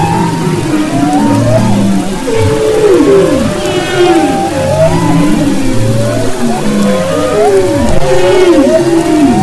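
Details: Humpback whale song off the west coast of Maui, February 2011: overlapping moaning tones that swoop down and up, with low pulsed grunts beneath and faint higher squeals, in a dense continuous underwater chorus.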